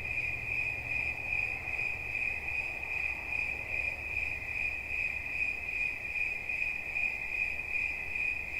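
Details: Shrill cricket song as a constant high ringing tone, rapidly pulsed and slightly wavering in volume, with a gentle low hum behind it.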